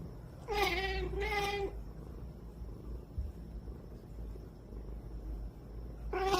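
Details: Cat fussing sleepily before sleep, whining in two drawn-out harmonic meows, each over a second long, then a third beginning at the end; steady low rumble underneath.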